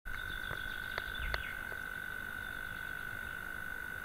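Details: European mole cricket singing in the evening from its burrow in a sandbank across a pond, not heard there for several years; a continuous, steady, pure churring tone without breaks, with a few faint clicks.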